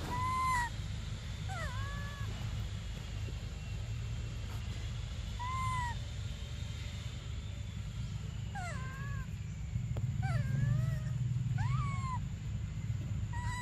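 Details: Hungry baby monkey Briar crying for milk: a long run of arched, falling whistled cries, some broken into quick stuttering bursts, more frequent toward the end, over a continuous low hum.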